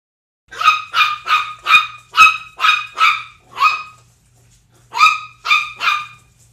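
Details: Barks at home from pitbull Zelda and 10-week-old Chihuahua puppy Sumac together: about eleven high, sharp yaps in a quick run, a pause near four seconds, then three more. Otherwise quiet, with a faint low hum.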